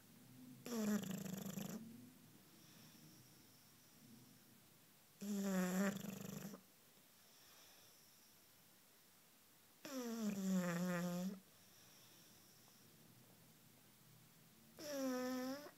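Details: Sleeping Bulldog, aged one year five months, snoring while curled up on a couch: four deep, raspy snores of about one to one and a half seconds each, spaced around four to five seconds apart, in a quiet room.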